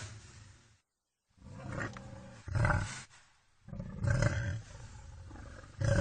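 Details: Deep, gravelly vocalizing by a wild boar, broken by two brief silent gaps, with swelling harsh bursts near the middle and end that rise above a steady low rumble.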